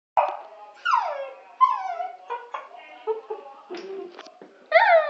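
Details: Pet dog howling like a wolf indoors: a string of short tonal whining howls, each sliding downward in pitch, broken by brief pauses and yelps.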